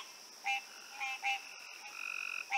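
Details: At night, a chorus of green tree frogs calls all around: brief, nasal, honking notes at uneven intervals, a quick buzzy rattle between them, and a steady high insect hum underneath. Bullfrogs are also nearby.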